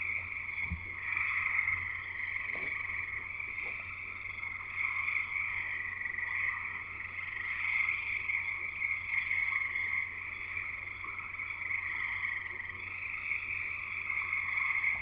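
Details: Frog chorus at a house in Escanaba, Michigan, in the Upper Peninsula: many frogs trilling at once in a dense, continuous, high-pitched wall of sound, with a lower trilled band beneath, steady throughout, with a faint low hum.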